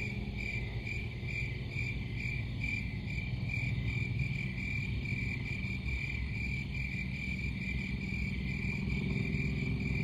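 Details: Steady cricket chorus: clear high chirps repeating at a regular quick pace, set against a loud continuous low rumble.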